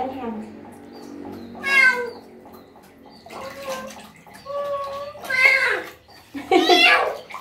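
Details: A stray cat in its first bath cries out in three strained, wavering meows, two close together near the end, while a person talks softly and water trickles in the background.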